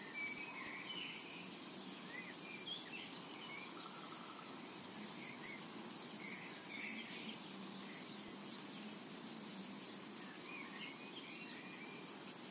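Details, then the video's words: Continuous high buzzing drone of cicadas in a summer meadow, unbroken for the whole stretch, with soft chirped and whistled bird calls scattered faintly underneath. "Summertime and Cicada Ambience"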